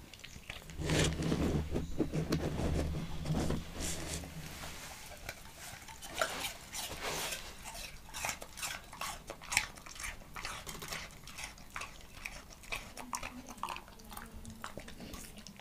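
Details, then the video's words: A Leonberger named Montana chews an apple inside a small room. Dense, irregular crunching snaps come roughly twice a second, with a low steady drone in the first few seconds. "ASMR LEONBERGER DOG EATING APPLE"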